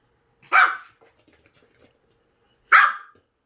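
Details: Puppy meeting an electric fan for the first time, giving two sharp, bright barks about two seconds apart with quiet rustling between them.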